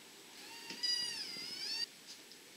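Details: {'text': 'High, thin meow from an Abyssinian kitten, one of a litter born in May or June 2014, during daily scenes of play, suckling and naps; a single drawn-out wavering cry lasting about a second, with faint rustling around it.'}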